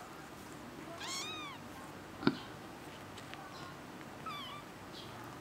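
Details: A kitten gives a clear arching mew, then after a sharp tap a softer, shorter falling mew follows, with faint background hiss.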